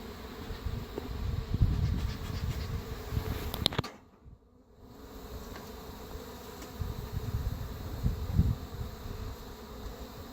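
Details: Honey bees of a feral-swarm hive, being reassembled after an Italian queen replaced the Africanized-tinged original; dense low humming swells and fades, interrupted by knocks and rattles of hive parts and a brief muffled dropout near the middle.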